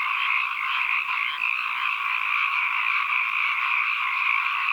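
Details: Frogs calling together in a thick, unbroken chorus, many overlapping trills blending into a steady high-pitched buzz that wavers slightly in the first seconds, with no other sounds present.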